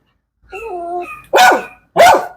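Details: Dog in a Malayalam-speaking household, taking part in a dog challenge: a rising whine with soft harmonics, then two loud sharp barks about half a second apart, indoors with people talking nearby.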